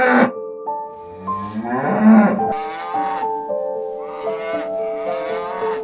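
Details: A cow gives one low, drawn-out moo that rises in pitch and lasts about a second and a half. A steady instrumental melody plays throughout, with bright sustained notes above the call.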